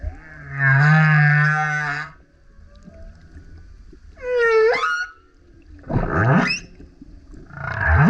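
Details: Humpback whale, a male singing very loud near a kayak, gives a rich harmonic roar, then a swooping whistled whoop, followed by two low rising grunts that climb into bright upper tones.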